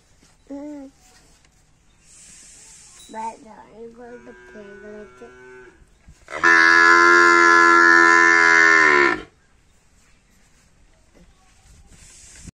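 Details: Water buffalo calf calling: a short low call near the start, several wavering, shifting calls in the middle, then one loud, long, harmonic-rich bellowing moo of about three seconds. Quiet pauses fall between the calls.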